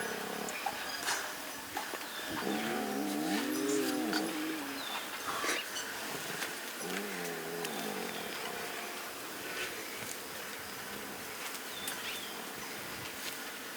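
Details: Lions in the Masai Mara on 2.11.2022, two small and two tiny cubs resting with their mothers and eating, filmed on a Sony FX30: a wavering, harmonic, mid-pitched moaning call lasting about two seconds, a shorter one after it, over soft ticking and hiss.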